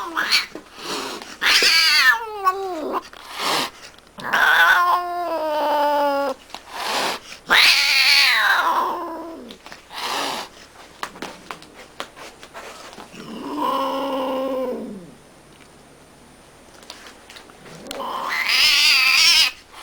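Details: Domestic cat in a funny compilation, a string of loud yowling meows of varied length, some bending downward in pitch, with scene cuts and quiet gaps between them.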